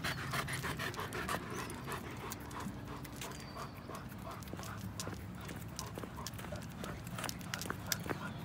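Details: German Shepherd brothers George and Henry, show/working lines, two and almost three years old, on a Sunday morning walk: fast, breathy panting at roughly three breaths a second, mixed with footsteps and rustling on the ground.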